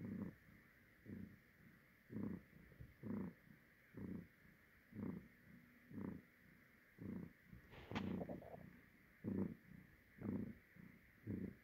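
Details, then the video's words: A domestic cat's rarely audible purring: low rumbling bursts pulse steadily about once a second, rising and falling with each breath, with a brief sharper noise near the eighth second over faint steady background hiss. "rare audible purring"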